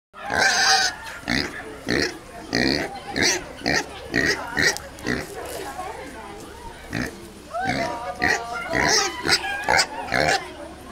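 A pig gives a run of short, harsh grunts and squeaky oinks, with some speech mixed in.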